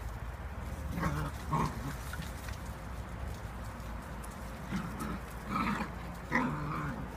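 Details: Eight-week-old whippet pups at rough play, giving low grumbling growls and a few high squeals in short clusters, separated by quieter stretches with a constant low hum underneath.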